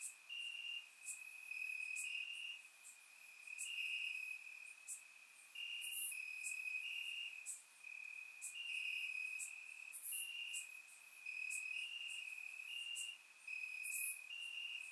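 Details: Warm summer night in Bulgaria with crickets chirping in the grass, captured in surround sound; a continuous high-pitched trill swells and fades every couple of seconds while short bright chirps punctuate it irregularly.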